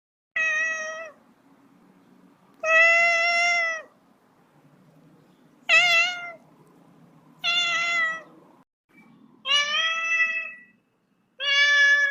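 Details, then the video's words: Little kitten meowing: six high, harmonic meows, each about a second long, spaced a second or two apart, some rising then falling, with quiet background between calls. "FUNNY CAT SOUND LITTLE KITTEN MEOWING"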